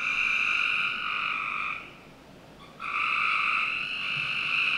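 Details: In a Northern Virginia home's backyard on a summer night, a frog's continuous trill runs almost two seconds, drops away for about a second, then resumes strongly and holds steady.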